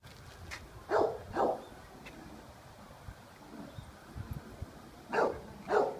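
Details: A Golden Retriever, filmed in 2015, gives deep, hoarse barks in two quick pairs, several seconds apart.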